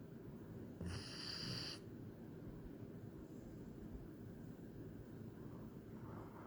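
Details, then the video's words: A German Shepherd asleep lets out a single short, buzzy snore near the start, followed by several seconds of near silence with only a low steady hum. "German Shepherd Snoring"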